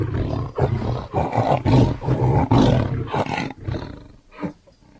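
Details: Tiger giving a run of deep, pulsing roar-growls, about two per second, each a rough low throaty burst, fading toward the end with one last short grunt.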